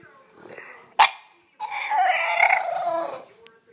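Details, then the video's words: A 7-month-old male English Bulldog gives a drawn-out, throaty, Chewbacca-like whine after a sharp knock, whining because he wants to get on the bed. "English Bulldog Titus whining to Colt"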